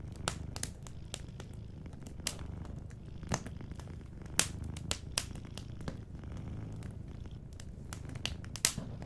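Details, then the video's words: Gentle low purring from a sleeping cat runs beneath a crackling fireplace; sharp pops and snaps from the fire come every second or so over the steady rumble. "Warm Fireplace Ambience with a Sleeping Cat 🐱💤Fireplace & Soft Purring"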